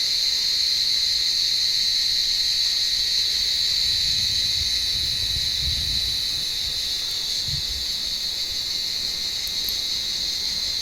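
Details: Cicadas calling on a warm evening from an olive tree as cats hunt among the branches; an unbroken high buzzing whine throughout, with low rustling and bumps around the middle.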